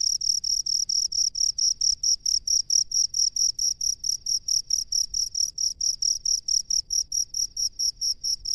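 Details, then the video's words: Rice-field cricket chirping in steady high-pitched pulses, about four per second, each short and ringing, repeating without pause over a faint low background hum. "SUARA JANGKRIK PENGHUNI SAWAH"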